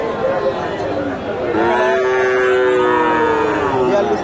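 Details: Friesian bull at the Dhap cattle market in Bogura, 2024: a long, drawn-out low moo that rises and then falls, heard over loud crowd chatter and market bustle.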